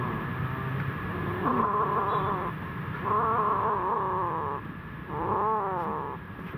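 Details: Kittens eating food in fear, giving three drawn-out wavering growl-like wails, each about one to one and a half seconds long, over a steady background hum.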